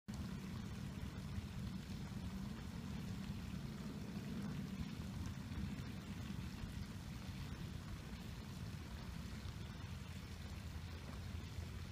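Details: Only a steady low rumble with a soft, even wash like flowing water is heard, and no animal voices.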